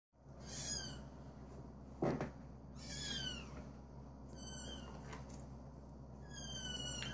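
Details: Cream male British Shorthair cat, born 21 January 2017, giving four high, thin, downward-curving meows spaced through the recording, with a sharp knock midway and a steady low hum beneath.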